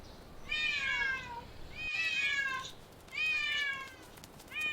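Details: Stray cat in a park or street setting meowing three times, each a clear, harmonic-rich meow that starts high and slides downward, spaced about one and a half seconds apart.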